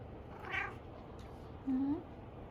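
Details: Jealous house cat calling while its owner cuddles another cat that was dozing in a hammock. A faint brief sound comes early, then a low, short meow rising at its end, over a quiet indoor hum.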